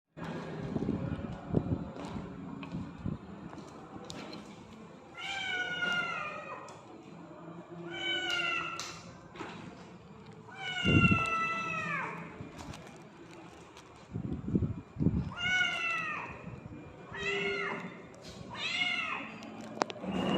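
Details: Hungry ginger cat blocking a person's path, giving loud repeated meows: drawn-out harmonic cries with falling tails, in bursts every one to two seconds, with low rumbling background noise and handling sounds between calls.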